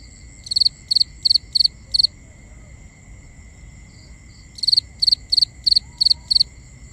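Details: Cricket calling at night, binaural recording: a run of five rapid triple-pulsed high chirps, a pause of over two seconds with only faint tones, then seven more chirps at the same quick pace.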